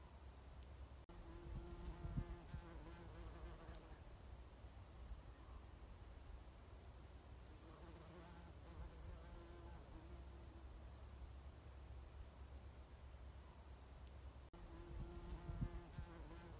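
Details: A bumblebee foraging on Oregon grape flowers at Lewis and Clark National Historical Park gives three bouts of deep, humming buzz, at the start, in the middle and near the end. Quieter stretches of low background rumble come between them.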